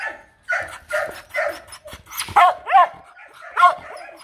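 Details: Female H'Mong bobtail (Mong Coc) dog barking in demand rather than aggression, at a breeding farm after being brought down from the highlands; a run of about seven sharp, yappy barks, some paired, with rising-falling tone and brief pauses.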